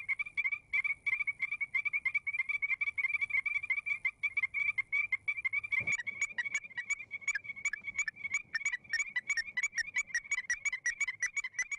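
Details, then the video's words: Strecker's chorus frogs in Arkansas calling back and forth to each other, a rapid series of short, sharp, clear whistled notes repeated about three per second, several callers overlapping in an uneven chorus. "[Music] hmm did you hear the whistle did you hear them talking back and forth to each other that's"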